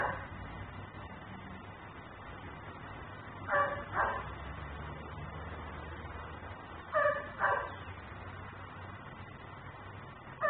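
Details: Dog left outside by its owner, barking as a neighborhood nuisance, caught on a security camera: pairs of short harsh barks at about 3.5 and 7 seconds over steady low background hum.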